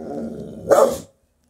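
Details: A half-blind female Rottweiler guard dog gives a low rumbling growl that breaks into one deep, loud bark.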